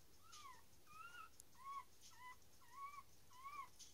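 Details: Newborn dachshund puppies just after birth, whimpering softly: short, thin, high squeaks with rising-falling arcs, coming about every half second over steady low background hiss.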